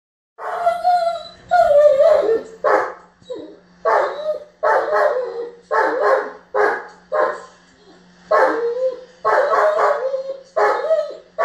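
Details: A German Shepherd having a tantrum because his ball went under the bed barks in loud, harsh bursts, some drawn out into whining yowls.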